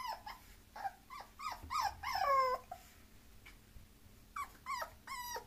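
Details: Mixed-breed Bulloxer dog letting out a quick run of high, bending whimpers that swell into a longer wavering cry, then two more short whines after a pause.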